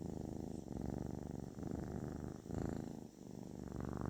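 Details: Kitten giving a therapeutic purr, a deep continuous rumble rising and falling with each breath in roughly one-second phases, heard close up and otherwise quiet.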